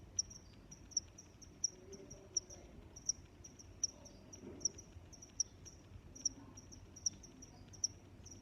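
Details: Crickets chirp steadily, each bright high pulse recurring about every 0.7 seconds, with quieter interleaved chirps from other insects and a low ambient hum beneath.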